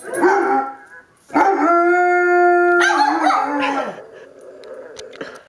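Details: Pet Dobermann howling after hearing a recording of a crying dog, joined by a bichon–shih tzu cross; sustained steady howl with rich overtones, breaking into a falling wavering tail, then fading to softer murmuring.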